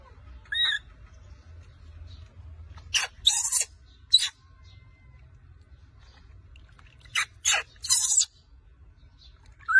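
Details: Baby monkey named Rose crying loudly and angrily after her mother takes her milk bottle during bath time: a shrill, wavering squeal early on, then harsh broadband screeching bursts in two clusters separated by quieter stretches.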